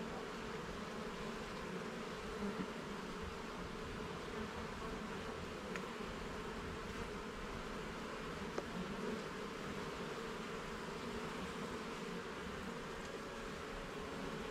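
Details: A colony of honey bees hums continuously as their garden hive is opened and its frames inspected; an unbroken low buzzing drone with scattered soft clicks and a small knock midway.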